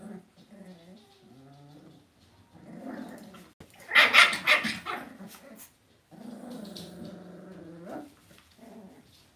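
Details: Cavalier King Charles Spaniel puppies raised indoors in a home puppy pen, giving harmonic whines and yelps with a louder burst of sharp high cries midway, then more wavering whimpers and squeals.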